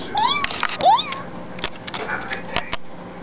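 A kitten gives two quick, high-pitched meows that rise and then drop, followed by soft clicks and thumps.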